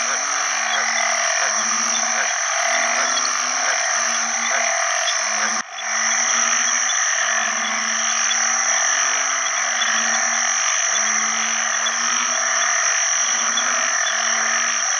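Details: Calling for mates alongside other frogs in water after heavy rain at the start of the rainy season, banded bullfrogs give deep, mooing notes in steady series, briefly cut off midway, over a loud, high-pitched frog chorus.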